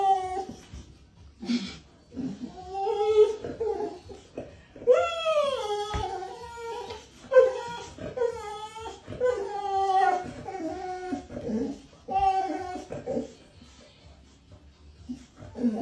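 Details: Boxer dog whining and whimpering in drawn-out, wavering, falling cries repeated over and over, with music and a person's voice in the background.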